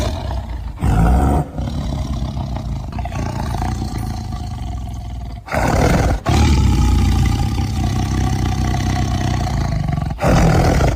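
A tiger gives deep, rumbling roars, loud and heavy in the low register, in several long bursts.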